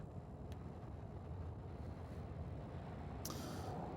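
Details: Low rumbling background noise like a distant vehicle, with a couple of brief clicks and no animal calls. No frog or other animal voice stands out.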